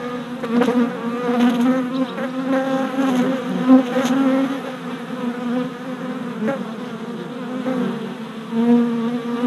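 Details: Orientation flights of mostly worker honey bees at a newly installed hive, recorded 27 April 2017 with a GoPro: continuous layered droning hum, louder surges near 1, 3 and 4 seconds as individual bees zip past.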